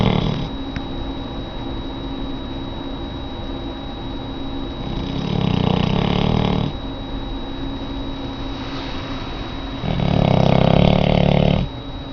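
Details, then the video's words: Lola, a very large auburn Labrador in the care of a dog rescue group, snores in her sleep: a softer rumbling breath followed several seconds later by a louder, rattling snore. "the snoring dog"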